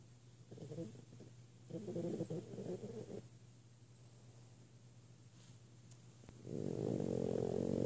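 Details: An 8-month-old female French Bulldog, asleep in the morning, snores in low, rasping, rattling breaths that come in bursts with quiet gaps between.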